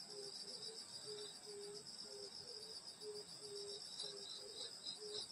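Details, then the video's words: Grass insects singing at night in summer countryside around a grandmother's house; a shrill continuous pulsing drone fills the background while brief low tones sound in quick irregular pairs and singles throughout. "여름소리 풀벌레소리 시골밤소리"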